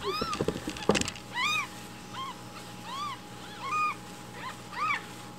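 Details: Hungry rescued baby kittens call loudly for morning milk while it is being prepared. A burst of clattering opens, then clear high, arched meows follow steadily about every half second.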